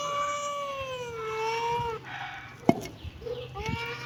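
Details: Kitten giving one long, drawn-out meow that slowly dips and levels off, followed by a sharp knock and the start of another softer meow.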